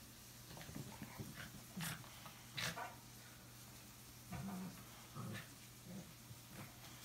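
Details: Boxer named Samson and a Chorkie named Bella playing at home, acting crazy; short low growls and snorts come in bursts with scuffling and thumps between them, over a steady low hum.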